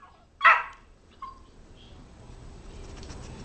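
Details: Chloe, a ten-week-old Boxer puppy being trained on tricks, gives a single short, bright bark, then a faint higher squeak; soft background hiss and low room rumble follow.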